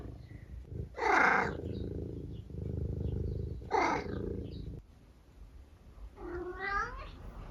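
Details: Eric, a pet tabby cat, vocalising at breakfast time in the morning: a steady low purr runs underneath, broken by two short bright bursts, then a clear rising-and-falling harmonic meow near the end, indoors.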